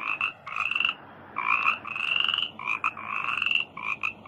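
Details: Frog in a rice field giving drawn-out, rasping croaks in uneven bursts, some short and clipped, others stretched to nearly a second, separated by brief pauses.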